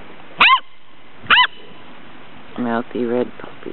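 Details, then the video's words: Gordon Setter puppies aged six weeks playing in sunshine, 2009; two bright yips a second apart, then lower buzzy grunting or growl-like sounds from the pups. "Gordon Setter Puppies 6 wks"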